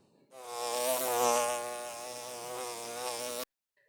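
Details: A fly buzzes steadily for about three seconds, a low droning hum that wavers slightly in pitch; a bigger fly's darker sound is called a drone.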